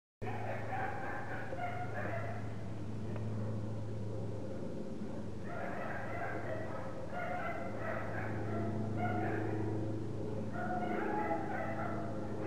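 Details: Parson Russell Terrier puppies give a busy stream of short, high, whining yelps in overlapping bursts, some rising and falling, over a constant low droning hum.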